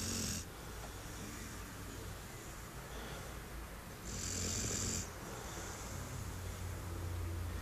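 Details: Six-month-old brown Labrador Duke-Emil, 21 kg, asleep on a garden chair, gives two breathy, rasping snores, one at the start and a longer one a few seconds later, over steady low breathing.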